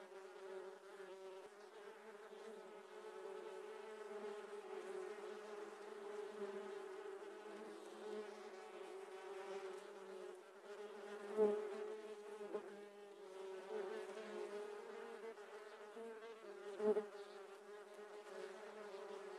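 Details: Giant honey bees (Apis dorsata) during honey harvesting, a dense swarm drone with a steady low hum and stacked harmonics, swelling and fading, with a few brief louder bumps near the end.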